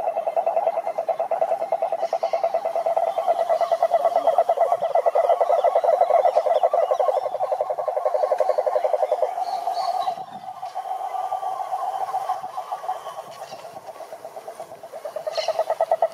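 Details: Male toads calling to draw females: a continuous buzzing trill of rapid mid-pitched pulses that holds for about nine seconds, dips briefly, then resumes more softly before swelling again near the end.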